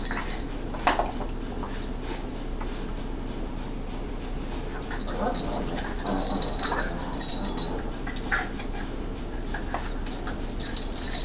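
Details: Two Boston terriers playing, one a puppy, snort, grumble and whimper softly over steady low rumbling and scuffling noise.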